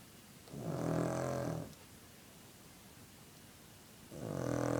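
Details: Sleeping dog snoring: two long rough breaths, each about a second, separated by a quiet pause of roughly two and a half seconds, in a quiet indoor setting.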